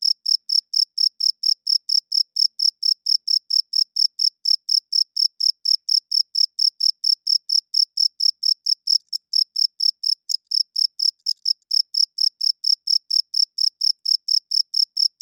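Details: Loud nocturnal cricket song of evenly spaced, bright, tonal chirps repeating about four times a second throughout, with a few faint clicks and nothing else audible.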